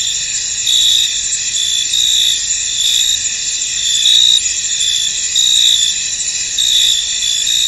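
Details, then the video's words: Crickets chirping in a misty field; a constant high shimmering trill with louder swells coming irregularly, around one every second or so. "Tranquil Cricket Sounds In An Misty Field"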